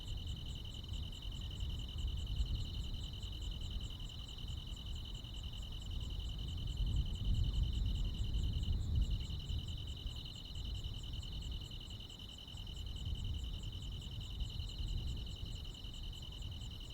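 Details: Crickets and other insects in the countryside on a summer night, trilling in a long, even high-pitched stream with rapid faint pulses higher up; low rumbling background swells and fades, with a brief blip near the middle.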